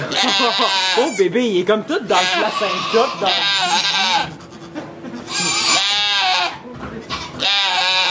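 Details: Domestic goat giving birth to two kids inside a sugar shack in Quebec, Canada, recorded on an iPod Touch: several long, wavering, strained bleats rise and fall across the stretch, with French conversation from people nearby filling the gaps between them.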